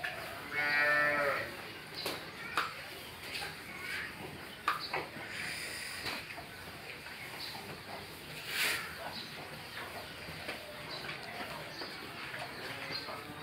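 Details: Jersey cross cow, nine months pregnant and expecting her third calf, on a dairy farm in Pabna, Bangladesh. It gives one short, harmonic moo about a second long near the start, then only faint background noise and scattered clicks.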